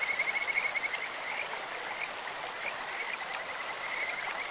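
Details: Kajika frog in a stream opening with a quick run of bright pulsed notes, about a dozen in under a second, then fainter scattered chirps beneath the hiss of running water.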